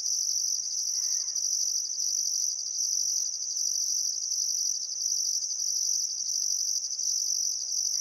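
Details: Steady shrill cricket chorus beside the Barcoo River at Welford National Park, Outback Queensland, on a calm summer sunset: continuous trill with evenly spaced higher pulses, and one faint bird call near the first second.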